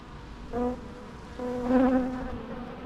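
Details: Natural sound of bees: a short quarter-second buzz, a pause, then a longer, louder humming pass lasting about a second before fading.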